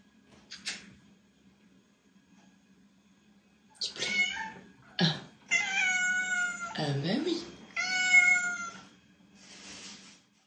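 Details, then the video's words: Cat meows recorded indoors as a call to attract other cats: a click, then a run of loud, tonal meows of varying length, one sliding downward, ending with a softer breathy sound, low hum underneath. "Attract cat with HQ meows - HQ loud sound"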